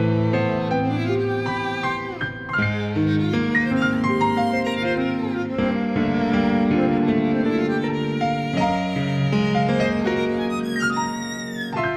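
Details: Instrumental music fills the whole stretch, with bowed strings and plucked harp-like notes and no animal voice heard.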